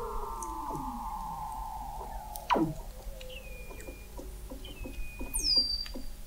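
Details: Weddell seals beneath Antarctic sea ice in McMurdo Sound, November 2017, from an observatory 21 m down: long slowly falling whistles, a sharp sweep plunging from high to low, and short high whistled tones over a faint hum.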